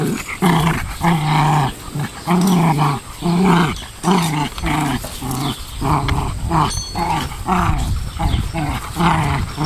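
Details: Two Pomeranians play-fighting on a small farm in central Wisconsin, trading rough, throaty growls in rapid bursts about every half second, some rising into whiny snarls, with scuffling between them.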